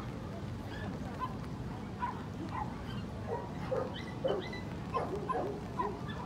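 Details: Dog-show hall on 3 March 2019, FCI Chubu International, male Corgi Best of Breed ring: a loose series of high, yappy barks and yips, several in quick pairs, scattered over steady background chatter and crowd rumble.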